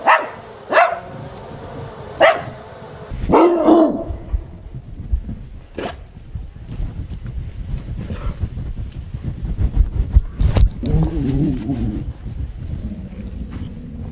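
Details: Zoe, a male pet Chihuahua who dislikes lawnmower noise, finally shows himself after hiding and barks enthusiastically: sharp, high-pitched barks, a quick cluster in the first four seconds, then a few isolated ones, over a steady low rumble.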